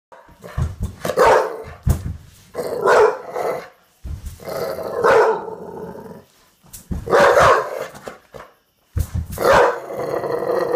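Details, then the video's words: A male Olde English Bulldog, revved up during play and rarely a barker, gives deep, hoarse barks, single or doubled, every couple of seconds. "Olde English bulldog barking"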